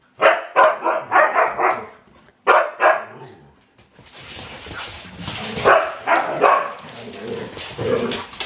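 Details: Domi, a four-year-old rescued husky mix crossbreed, newly arrived in a home, gives a run of quick yipping barks, pauses, barks again, then softer mixed noise and voices follow.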